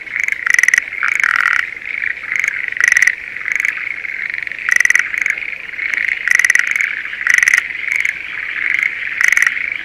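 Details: Schlegel's green tree frogs in breeding season, calling from a spring rice paddy near Sendai, Japan: loud rattling, pulsed bursts about every second over a steady high chorus of many frogs.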